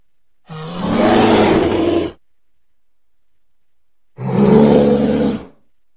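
Two deep, throaty roars from an American black bear, rough and broad in tone with a low grumbling base. Each lasts a second or more and stops abruptly, separated by about two seconds of silence.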